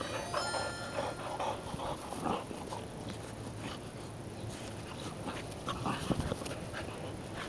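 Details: American Pit Bull Terrier siblings, a brother and sister named Kuma and Sakura, playing together; short whimpering and yelping sounds scattered through the clip over scuffling noise, with a faint high ringing tone near the start.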